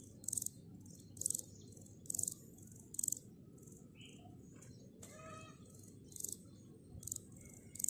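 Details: Grasshoppers calling in short, harsh buzzy bursts of high rasping sound, repeated roughly once per second, with a few faint bird chirps and whistles in the background.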